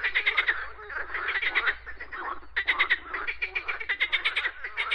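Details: Croaking frogs give rattling bursts of fast pulses, each about half a second to a second long, with brief lulls between, other callers overlapping softly in the background.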